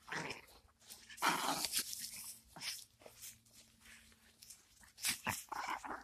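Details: Aggressive Chihuahua growling and snapping while nibbling on pants indoors: rough, noisy bursts in short irregular spurts, with a faint steady low hum in a small room.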